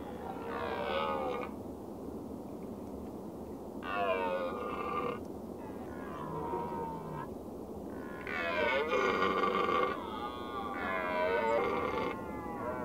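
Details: Red deer (Cervus elaphus) giving four harsh, drawn-out roaring bouts, each about one to two seconds long with rich harmonic layers, separated by short pauses over a steady background rush.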